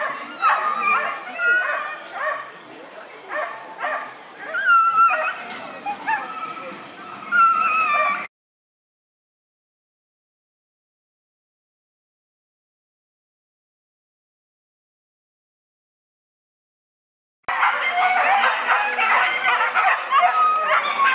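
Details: Whippets at a race in the classic class, male category, Lednice cup: rapid excited yipping and barking, harmonic and high, in two bursts separated by a long silent gap, with voices mixed in.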